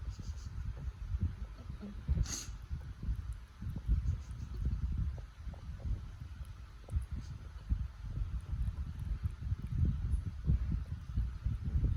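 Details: French Bulldog. A French Bulldog snores in low, rough rumbles that rise and fall with each breath. The snorts come irregularly, with a faint rustle now and then in the background.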